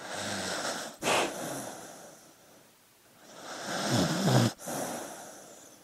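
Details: Sleeping dog breathing noisily: two broad, rasping breaths about three seconds apart, the second with a low, voiced, rumbling snore toward its end, separated by quiet pauses.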